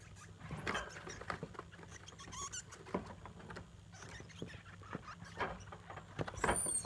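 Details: Degu parent and offspring in a back-and-forth exchange at home: scattered clicks and shuffling, a faint high chirp midway, and a sharp, very high curving squeak at the close, all above a constant low hum.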